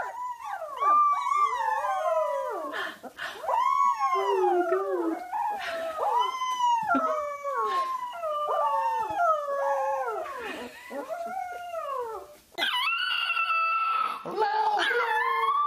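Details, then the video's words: Several puppies howling together in overlapping, swooping arcs that rise and fall continuously, ending in a brighter, steadier chorus of held notes. "CUTE PUPPIES HOWLING COMPILATION"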